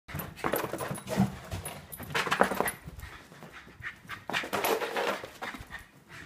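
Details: A Scottish Terrier, an indoor pet, panicking after his owner leaves: broadband bursts of panting and snuffling in uneven groups, with faint high whines and a small room's echo.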